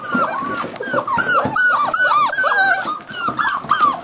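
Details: Cardigan Welsh Corgi puppies at seven weeks, playing: a loud, steady stream of arched, squealing whines and yelps from several pups at once, with brief growly bits and scuffles.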